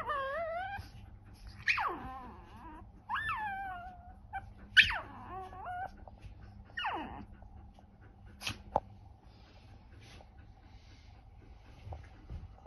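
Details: Chihuahua vocalizing, described as talking, recorded 3 March 2024: falling, harmonic moan-whines and sharp yips spaced a second or two apart, fading to quiet in the second half, with a faint steady hum.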